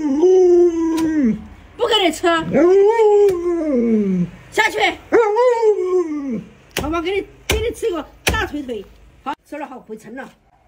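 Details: A pet Alaskan Malamute named Luoluo, sulking over a trick too hard to learn, produces a chain of arching, rising-and-falling howls and whiny yips, shortening into quick clipped cries near the end.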